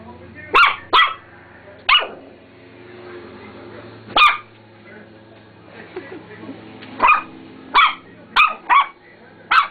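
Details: Roxy, a female dog, barking repeatedly at her mirror reflection, unaware it is her. Loud, abrupt barks come in pairs and clusters, about ten in all, over faint background voices.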